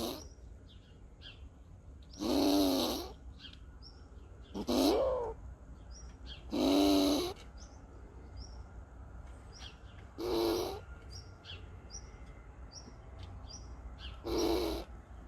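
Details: An agitated squirrel in Borken-Singlis, Germany, on 20 August 2021, makes defensive harsh, throaty growling bursts about every two seconds toward the person filming, with faint bird chirps behind.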